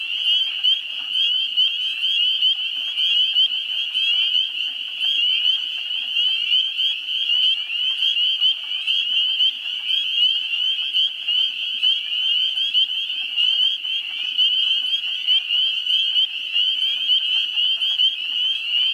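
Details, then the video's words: Spring peepers chorusing in a swamp in New Hampshire in the first week of April. Many high, piping peeps blend into a continuous shrill sound. Wood frogs give soft, rapid clucking calls beneath it. "spring peepers calling"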